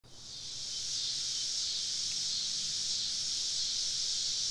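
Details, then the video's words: Many cicadas singing around a woodland campsite on a southern summer evening: a steady, dense, high-pitched hiss that swells in within the first second, then holds level and unbroken. "Southern Evening Summer Cicada Symphony"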